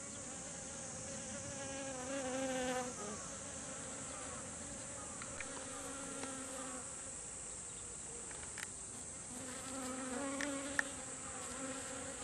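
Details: Honeybees arriving as a group at garden kumquat blossoms to gather nectar. Low droning hums come and go, fading out midway and returning, with faint clicks and a steady high hiss.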